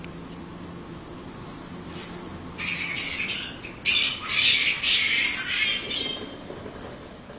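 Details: Australian flying fox around a house: after a quiet opening with soft ticking insect pulses, loud raspy squawks and screeches crowd together for about three seconds, then fade back to the insect background.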